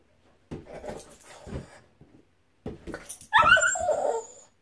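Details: Boston Terrier dog playing with a balloon indoors; soft rustling scuffles and breathy bursts, then a louder, tonal whining whimper rising and wavering near the end.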